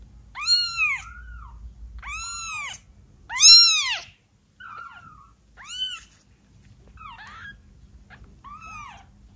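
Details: Twelve-day-old kitten mewing for one of the first times, a run of thin high arched cries, some short and some drawn out, separated by pauses and small squeaky fragments, indoors with little background noise.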